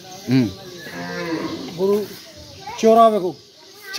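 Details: Bulls at a rural farm in Biral, Dinajpur, Bangladesh, recorded 31 August 2023: short low moos at the start and near two seconds, then a longer rising-and-falling moo around three seconds, with human voices in between.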